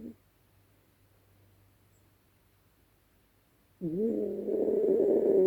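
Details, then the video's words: Female Yorkshire Terrier Dezi snoring loudly in her sleep at night; after a long quiet pause comes one swelling, nasal, humming snore that rises and grows louder as it goes. "АСМР от Дези! Дикий ночной храп!"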